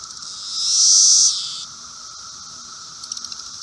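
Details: A Brood V 17-year periodical cicada (Magicicada) on a fence in Logan, Ohio gives a loud, harsh buzz that swells and then drops to a steady drone before flying away.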